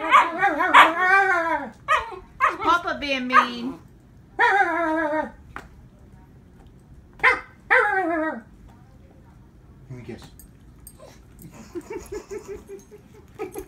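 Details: Three-month-old female Siberian Husky named Katrina protesting after being given medicine she dislikes: wavering, whiny howl-talk in drawn-out rising and falling yowls, several bursts in the first eight seconds, then quieter whimpers with a person speaking.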